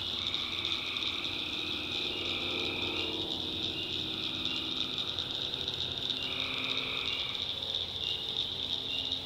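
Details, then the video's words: Swamp at night in North Carolina, where tree frogs keep up a dense shrill chorus with alternating lower calling bouts every few seconds, while a faint low rumble and a murmur of softer sounds run beneath. "Relaxing Swamp Sounds at Night - Frog Heaven - Frogs, Crickets, Forest Nature Sounds"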